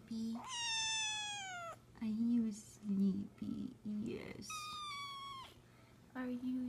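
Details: Cat giving two long, high, slightly falling meows about four seconds apart, with a person speaking in low tones between and after them in a small indoor room.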